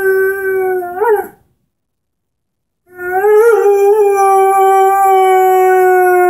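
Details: Henry, a 10-month-old Airedale Terrier, sings with his orange squeaky ball: a sustained, steady tonal howl with rich harmonics, a brief upward inflection, a pause of about one and a half seconds, then a long held howl.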